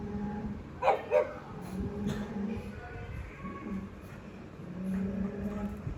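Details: Pug barking fiercely and jealously at pugs and other dogs on TV, treating them as intruders in his territory; two sharp barks close together near one second, over a low steady hum of TV sound and music.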